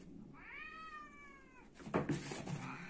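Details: Pet cat in a fighting cat scene gives one drawn-out, steady meow lasting over a second, then rustling and thumping scuffle noises follow indoors.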